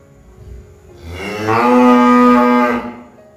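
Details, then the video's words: Cow mooing: one long harmonic moo starting low and rising into a steady, loud, drawn-out tone lasting about two seconds, then fading; quiet background otherwise. "Suara sapi | cow sound"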